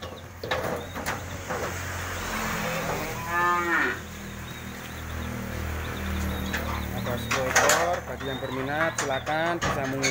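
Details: Cattle being sold in 2020 moo repeatedly: a short, wavering call near the middle and a stronger, falling bellow later, both set against steady crowd talk, knocks and low engine-like rumble.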